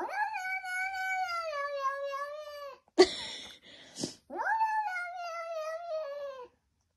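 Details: In Chile, a domestic cat talks to a baby sheep with two long, drawn-out meows, each sliding gently downward over about two to three seconds, separated by a brief clatter and rustle.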